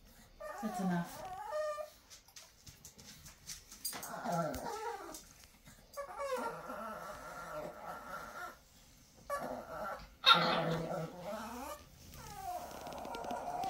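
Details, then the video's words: Pet Chihuahua "talking": several bursts of whiny, wavering yowls and whimpers that slide up and down in pitch, separated by short pauses, with a person speaking to the dog in between. "Chihuahua talking"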